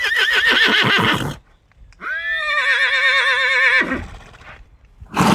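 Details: Horse neighing: the tail of one whinny, then a long, strong, tremulous call held nearly two seconds with steady wavering pitch, ending in a breathy fall, and another call starting at the end.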